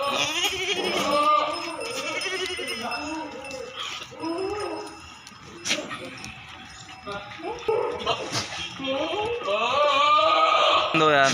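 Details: Goats at a goat farm in Narayanpur, Assam, bleating in overlapping, wavering calls from several animals, with people talking throughout and a few sharp clinks.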